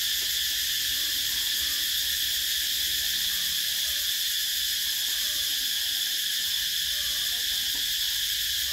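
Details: Cicadas calling in summer: a dense, unbroken high-pitched buzzing drone that holds steady in loudness throughout, with a faint rhythmic shimmer and no other clear sounds.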